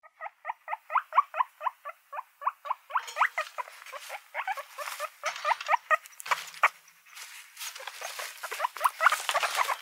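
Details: Guinea pigs, one of several animals featured, give a steady run of short rising harmonic squeaks, about five per second for nearly three seconds, then a denser, noisier jumble of overlapping squeaks and rustling patter.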